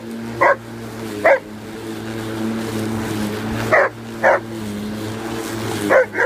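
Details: An Alaskan malamute attacks a running lawn mower, giving sharp, separate barks in pairs over the steady drone of the mower engine.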